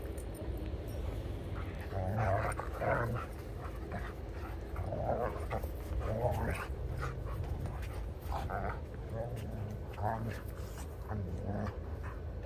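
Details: A Sheepadoodle, an Old English Sheepdog and Poodle cross a little over 1.5 years old, plays with an Old English Sheepdog: scattered huffs, grunts and whimpering snorts, with low rumbling and a human voice now and then.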